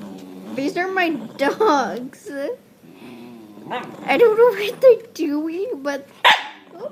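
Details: Pet dogs making weird noises: long, warbling, howl-like vocalizations that rise and fall in wavy, almost talking phrases, several bursts in a row with a sharp bark-like sound near the end and some human speech mixed in.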